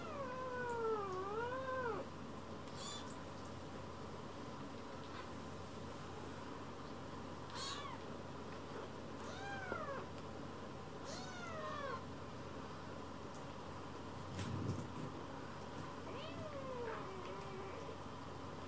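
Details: Rescued baby kittens (Leo, Pon, Chiro) settling onto a lap and seeking affection; a long dipping meow opens, followed by scattered short arched mews spaced a few seconds apart against constant background hum.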